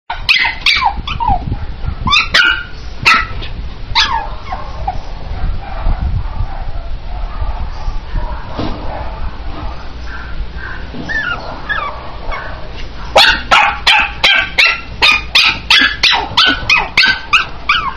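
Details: Chihuahua puppy barking: a cluster of sharp, high yips in the first four seconds, a quieter stretch with low background rumble, then a fast run of about a dozen yapping barks near the end.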